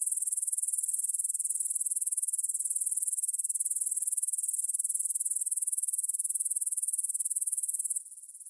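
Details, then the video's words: Meadow grasshoppers near Bryansk's Svensky monastery, Russia, recorded at 9pm on 6 September 2020 with a Tascam DR-44WL in stereo: continuous shrill, fast-pulsing high chirring that suddenly softens in the final half second. "Звук для сна: кузнечики на лугу – Grasshopper Sounds in the Field for a Quick Sleep"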